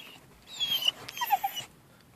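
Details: Mini pit bull, one year and seven months old, voicing a drawn-out whining call as if saying "who's that"; a high sliding whine followed by three short, lower yelping notes, with a person talking and asking about going outside.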